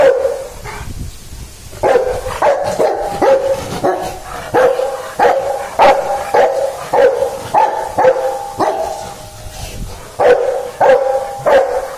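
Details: Dog barking in a long series of loud, sharp barks coming roughly every half second to second, with a brief lull near the start; barks carry a slightly tonal, yelping edge, and no other sounds stand out.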